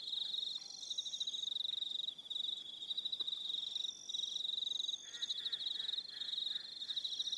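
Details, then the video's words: Aroha Island, New Zealand, evening crickets: fast high-pitched pulsed trills in repeated bursts, overlapping higher trills, and a faint lower warbling sound near the end. "1 Hour Relaxing Evening Sound of Crickets"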